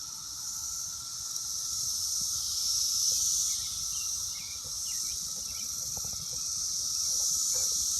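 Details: Brood X periodical cicadas, very loud and numerous on an apple tree in early June, keep up an unbroken high buzzing hiss with gentle surges; faint soft chirps sound faintly in the background.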